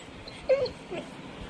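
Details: A Labrador Retriever gives a brief, thin whimper: one short tonal whine that dips slightly, followed by a fainter second note, in a quiet indoor setting.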